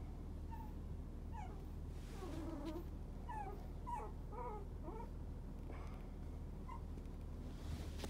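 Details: Young fawn-coloured male pup, born 29.11.30, whimpering in a run of short high yips and whines that slide up and down, irregularly spaced, with a constant low background hum.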